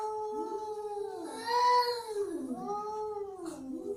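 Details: Angry domestic cat giving a drawn-out, wavering yowl that rises then falls, followed by a second shorter moaning wail, with a faint crackle near the end.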